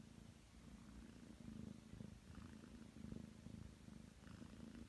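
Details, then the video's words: Nine-month-old Ragdoll cat purring as it gets ready to knead on a bed: a continuous low rumble pulsing with its breathing, close and soft, with no other sounds. "[Ragdoll cat] 애교 부릴 예정이니 빨리 준비하라냥! フミフミしたいんで早う横になれ😾"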